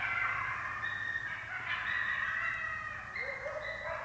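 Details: Wild wolves and coyotes, about 60 yards away, calling after wolves chased a deer; a faint chorus of overlapping, wavering high drawn-out howls, with a lower rising, quavering howl near the end.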